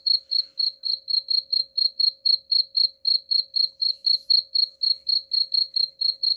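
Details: Continuous cricket chirps, presented as a rat repellent, with bright high pulses falling about four per second in an even, unbroken run against a quiet background.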